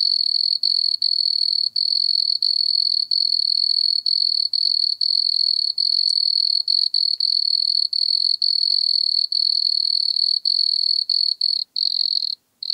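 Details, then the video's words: Wood cricket (Nemobius sylvestris) at Altenberg, Austria, on 9 August 2022, singing a steady high churring trill held almost unbroken, with brief gaps roughly every second and a faint overtone band above; no other sounds. "Nemobius sylvestris -- Waldgrille -- Wood Cricket"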